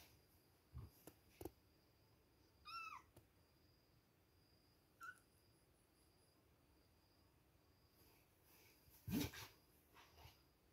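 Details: Two-week-old kittens at milk time: one clear high, bending meow early on and a brief short squeak a couple of seconds later, among scattered knocks, rustles and handling noises indoors.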